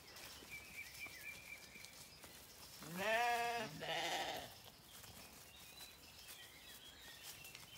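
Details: Morning bleating of Zwartbles lambs seeking their mothers on lush pasture in County Kilkenny, Ireland; a single quavering cry broken into two parts near the middle, with faint birdsong in the background.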